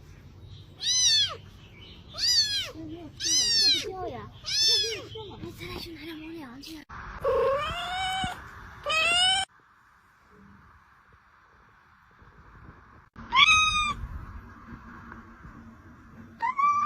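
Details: Kitten meowing in a quick run of short, arching cries rising then falling, about one every half second, then a longer drawn-out mew, a silent gap, and two more sharp meows near the end.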